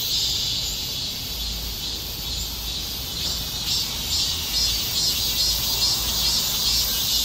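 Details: Cicada song: a loud, continuous high buzzing drone that throbs in a steady pulsing rhythm, roughly two pulses a second, dense and unbroken throughout with only faint low background rumble beneath.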